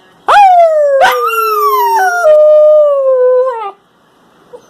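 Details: Husky Shepherd mix pup singing: a loud, clear howl that starts with a sharp rise, breaks upward twice, then slides slowly down and fades after about three and a half seconds.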